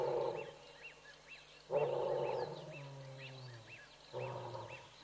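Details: Bored lions at Tembe giving a few roars: three deep, throaty roaring bursts, the middle one longest and trailing into a lower groaning tail, while small birds repeat arching chirps steadily in the background.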